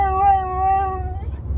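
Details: Dramatic husky yelling in a car headed to the groomer, a sustained, level, moaning cry held for over a second before trailing off into short pulses, with low vehicle rumble and a person speaking nearby.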